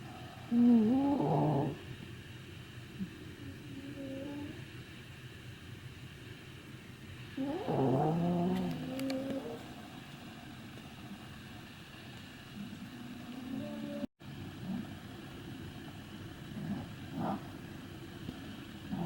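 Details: Three tired Maltese dogs sleeping and snoring: squeaky, whistling nasal snores in short bursts roughly seven seconds apart, with a steady low background hum between breaths.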